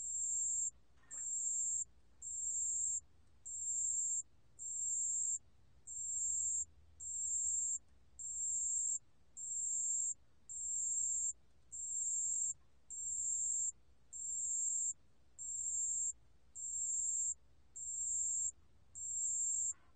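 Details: ["In a 2020 recording from Korea's National Institute of Biological Resources, a pale bell cricket sings seventeen short, piercing, tinkling trills over twenty seconds. The rhythm is very regular, about one every 1.2 seconds, and the background is quiet."]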